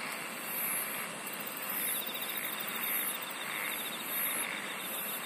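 A steady insect chorus of high, shimmering trills with soft pulsing swells about once a second.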